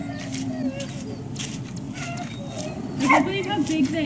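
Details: Dogs at the Service Dog Project in Ipswich, Massachusetts, USA, waiting at breakfast time on October 14, 2017. High, wavering whines rise and fall over a steady low rumble and clatter, with brief yips near the end and human voices in the background.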